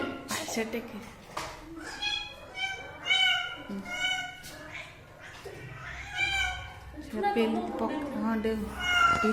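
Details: Pet cat giving a run of high, harmonic meows, several drawn out and some rising then falling, interleaved with a person talking close by indoors.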